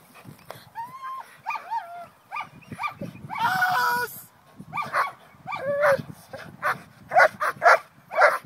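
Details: Trained German Shepherd personal protection dog, a Schutzhund 3 competitor in the USA, during protection work: high rising-and-falling whines and yelps, then a quick run of sharp, harsh barks near the end, over background noise.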